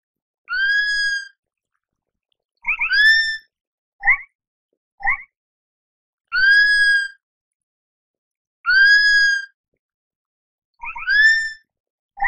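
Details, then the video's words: Sloth calling with drawn-out high squeals that rise and then hold level, rich in overtones, interspersed with brief sharp double chirps; calls come every one to two seconds over a silent background. "Tunog ng SLOTH | Sound of SLOTH"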